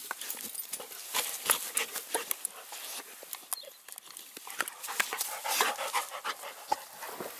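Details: Two dogs, Cane Corso female Siva and Dogo Canario mix Manfred, playing wildly together; rapid breathy bursts at about three per second, with scuffling and sharp rustling noises throughout.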